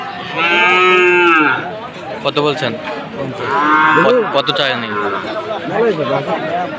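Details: Sahiwal bull calves at a cattle sale in Khulna, Bangladesh, on 7 January. Two drawn-out, harmonic-rich moos about three seconds apart, with crowd chatter and clatter around them.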